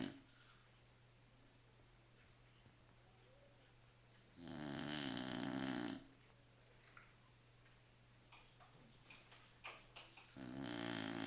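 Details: Staffordshire Bull Terrier snoring indoors: mostly quiet with a steady low hum, broken by two loud, rasping, drawn-out breaths around the middle and at the end, plus a few soft snuffles between them.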